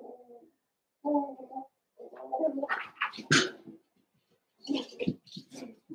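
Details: Cavalier King Charles Spaniel puppies, two litters merged into a group of eight, six of Daisy's with Robin's two, playing together; short low harmonic whining grunts in separate bursts, then a jumble of noisier squeaks and yelps with a sharp high squeal.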